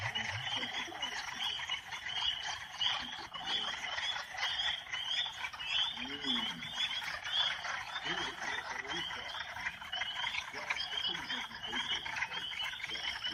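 A dense chorus of northern spring peepers, high piercing peeps overlapping continuously.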